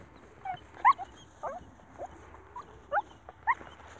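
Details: Stray puppy abandoned in the fields away from the village, emotional at being found: soft, short whining squeaks repeated irregularly over a steady low background hum.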